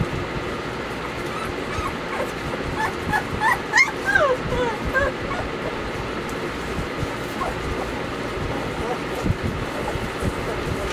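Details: Bailey, Hailey and Jenny, Weimaraner puppies in summer, let out a brief flurry of rising and falling whimpers and one higher squeal near the middle, then fade to scattered faint whines amid steady noise.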